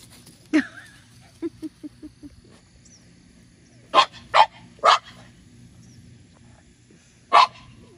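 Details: Playful French Bulldog Minnie Rose, one year old, tries to rouse older Sami in a garden under a grape pergola. A single bark, a quick run of soft low grunts, then three close barks and one final bark after a pause.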